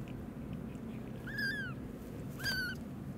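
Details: Newborn rescued kittens pleading and crying from inside an old warehouse, heard in the evening; two clear, arching high mews a second apart over a constant low hum.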